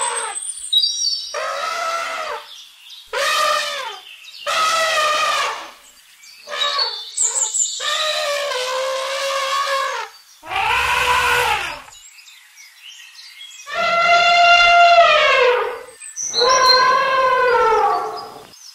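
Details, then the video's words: Repeated blaring elephant trumpets, bursts of one to two seconds with bright layered overtones, broken by short silences and occasional thin high whistles. "Elephant sound to learn trumpeting,rumbling and roaring sound effects of elephants"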